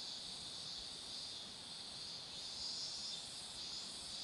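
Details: Cicadas singing beside a road where marigolds are in bloom: a steady, dense, high-pitched hissing drone that holds without pause throughout, with no other clear sounds.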